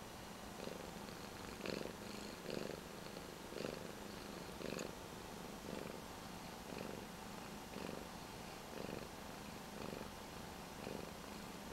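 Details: Domestic cat indoors, purring intensely while watching another cat on a screen beside its owner; soft low rhythmic purr pulsing about once a second, faint and steady under a hiss of room noise.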